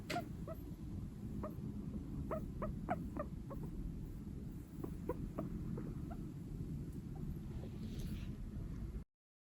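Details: A male Sheltie guinea pig, born September 2022, gives short, soft nasal squeaks in quick bursts over a steady low hum; the owner thinks the sound comes from its nose, like humming.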